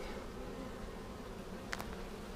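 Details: Honey bee colony inspected for queen cells and eggs a week after a vertical split made with a double screen divider board, March 10, 2019. A dense, even buzzing drone runs throughout, with two brief knocks near the end.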